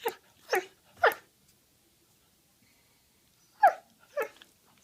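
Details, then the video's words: Dog uttering three quick, rasping yips in a row, then a pause of over two seconds before two more, with near-silence between the bursts. "Dogs teef sound"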